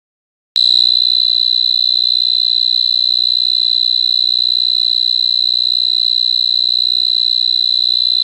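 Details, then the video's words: A cricket chirping: after a short silence, a loud, steady, high-pitched trill starts abruptly and continues without a break, made of very fast, even pulses. "Cricket Chirping Sound"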